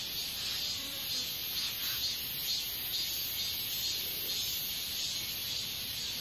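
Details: Continuous shrill, buzzy katydid calling, high-pitched and even, holding steady throughout with slight swells in loudness and no other sounds standing out.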